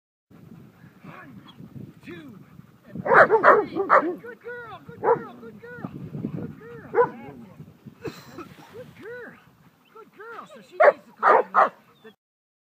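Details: Protection work with Selah, a German Shepherd: bursts of rapid, arched barks and yips, loudest in clusters around the early and late stretches, with people talking over the dog throughout.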